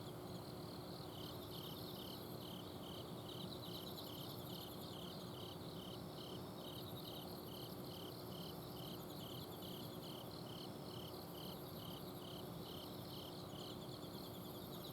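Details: Autumn insects singing at night in a home garden in Azumino: regular high pulsed chirps repeated steadily through the clip, a fainter second insect trilling above, over the constant low hum of an outdoor air-conditioner unit.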